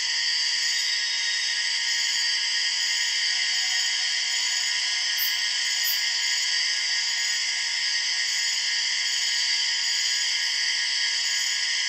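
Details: Empress cicada, the largest cicada species and one of the loudest, calling in the Borneo rainforest: a steady, unbroken, high buzzing drone of stacked tones that holds level throughout, with a few faint higher chirps.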